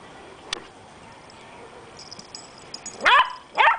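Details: Two puppies, a Beagle and a Jack Russell, at play: after quiet rustling and a few clicks, two sharp high yipping barks close together near the end, the second slightly shorter.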